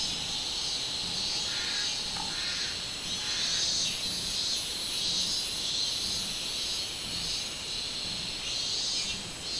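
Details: 24 July 2016 recording of a robust cicada (minminzemi): a loud, sustained metallic buzz whose top layer swells and fades in beats about every half second, with a soft low hum underneath.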